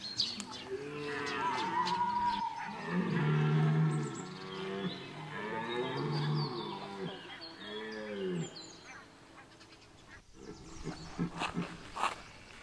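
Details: Red deer stag bellowing during the September 2021 rut at Chambord, France: a run of deep, moaning roars with arched, wavering harmonics, several drawn-out calls over about nine seconds, then fading into quieter background with faint distant sounds.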